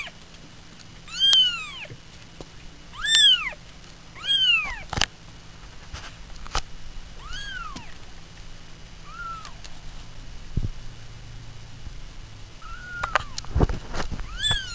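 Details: Pet cats indoors meowing repeatedly, arched drawn-out calls about every one to two seconds early on, then shorter, softer meows, with occasional thumps and clicks in the room.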